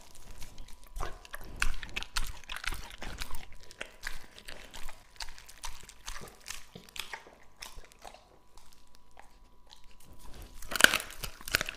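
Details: Raw meat chewed by Lucky, a male English Labrador aged two and a half: irregular crunches and moist smacking clicks, busier early, thinning toward the end, with one sharp clatter near the eleventh second.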